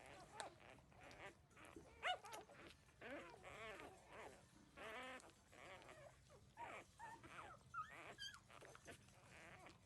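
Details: Thirteen-day-old puppies suckling from their mother; irregular high yelps and drawn-out quavering whines, some short sharp squeaks, with a few quieter gaps between cries.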